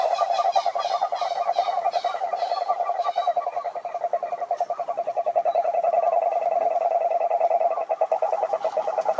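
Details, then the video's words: Several wild cururu toads (Rhinella marina) in a lake in the Atlantic Forest, Brazil, trill together in a continuous, dense pulsing chorus. Short higher chirps sound near the start, and the pulses briefly slacken before resuming. "CANTORIA DE SAPOS CURURU"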